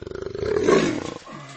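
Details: A jaguar (Panthera onca) gives a deep, rasping roar that starts in quick pulses and swells before breaking off.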